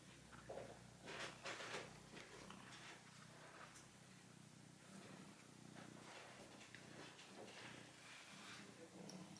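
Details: Tiger, a red male cat, kneads a stuffed mammoth toy; a quieter low purr hums under louder bursts of rustling plush in the first few seconds, then settles into a gentle drone.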